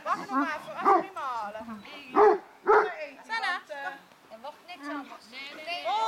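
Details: Seven-month-old harlequin and mantle Great Danes from one litter at a reunion on 2 September 2012, offspring of Coco Chanel and Eghan; a few loud, sharp barks break through overlapping human voices and laughter.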